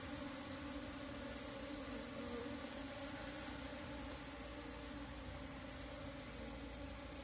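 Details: Wild swarm of Asian honey bees, Apis cerana, being caught with a bee cap; a steady, even droning hum with two constant low tones running throughout, no other clear sounds.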